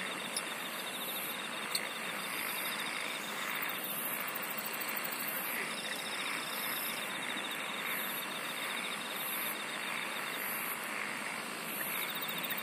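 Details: Insects singing in a natural setting, with a steady pulsed trill near the top of the range, a finer rapid trill lower down, and a dense continuous chorus throughout.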